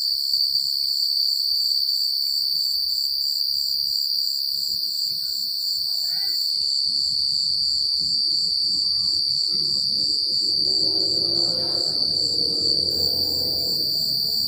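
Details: Crickets chirping through a rural night, a constant shrill trill with beating pulses, joined in the latter part by a swelling soft rushing sound like wind or rustling leaves.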